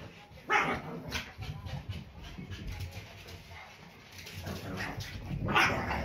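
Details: Two Pekingese dogs, Peko aged one and Poko under one, bark at a squeaking toy at home in October 2018. Two sharp barks stand out, one early and one near the end, with soft rustling and low household noise between them.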